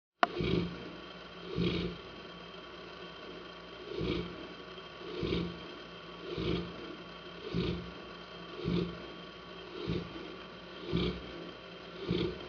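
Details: Saint Bernard named Hanna snoring: broad low rasping snores repeating roughly every 1.1 seconds, each a short noisy swell, over a steady faint background hum.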